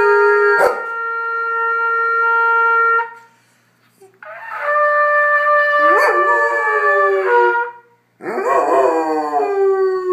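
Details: Spud, a goldendoodle, howls whenever a trumpet is played. A steady trumpet note holds for three seconds; after a short pause, long wavering howls slide downward over further trumpet tones, breaking off, then returning with falling, quavering pitch.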